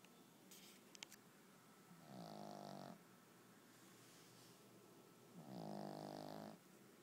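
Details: A dog asleep indoors snores softly: two rattling, drawn-out snores, each about a second long, come several seconds apart over a low steady background hum, with faint clicks near the start.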